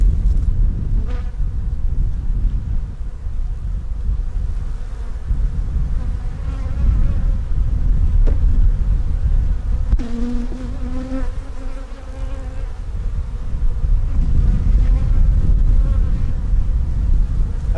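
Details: Honey bees in one of two backyard hives, opened for inspection by a second-year keeper looking for queen cells; a steady low, dense buzzing drone fills the clip, with scraping and handling noises and a brief human voice midway.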